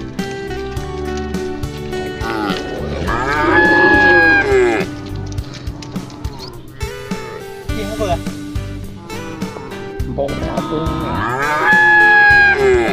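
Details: A tame herd of cattle, driven by a herder along a green hillside road toward the farm shed on an autumn evening, lows in long, drawn-out moos, several overlapping and rising then falling, over steady background music.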